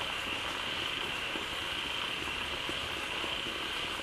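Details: Frogs massed in a freshly flooded pond fed by a waterfall keep up a loud collective chorus, scattered short croaks poking through a dense, even background of shrill high-pitched calling.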